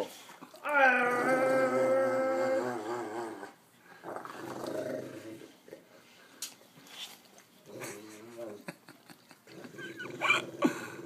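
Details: A Rottweiler-Newfoundland mix dog gives a long, moaning, harmonic growl of happiness, from love for his owner, then softer grumbles.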